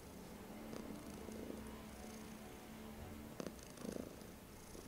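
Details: Pet cat Heliana lying in her favorite spot on her owner's lap, giving a soft continuous low purr, with brief rustling sounds and light clicks near the end.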